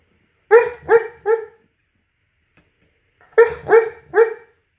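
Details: Dreaming mastiff giving deep, resonant barks in two quick sets of three, the sets about three seconds apart, with silence between them.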